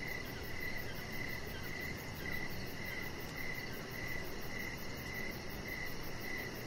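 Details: Cricket song on an evening deck: clipped chirps at an unchanging pitch come in a steady rhythm about two each second, set against a dull, even noise floor.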